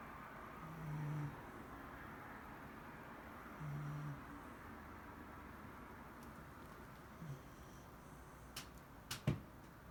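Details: Shiba Inu named Mari asleep indoors, snoring softly: two low, short rumbling breaths about three seconds apart, then a few faint clicks and taps near the end in a quiet room.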